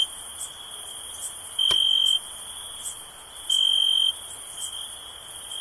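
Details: Chirping crickets hold a steady high-pitched trill, swelling twice into loud, even half-second bursts. A single sharp click sounds near the middle, and faint higher chirps pulse behind.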